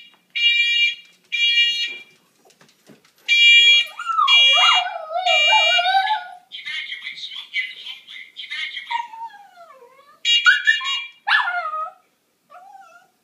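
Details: Mitzi, a pet dog who hates the smoke detector's sound, howls at it: shrill electronic alarm beeps sound in short bursts, then long wavering howls glide up and down, overlapping the alarm, before a final short howl after the beeping returns.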